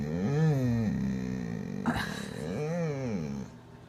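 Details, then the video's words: Krieger, a dog that rarely barks and instead voices all kinds of other exclamations, produces warbling, arching moans, pauses with a brief sharp noise, then resumes a rising and falling whine indoors. "weird dog sounds"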